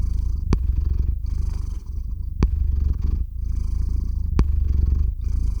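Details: Domestic cat named Theo purring close to a RODE NTG-3 microphone into a Zoom H6 recorder as he falls asleep; a deep, steady rumbling purr with a sharp click roughly every two seconds.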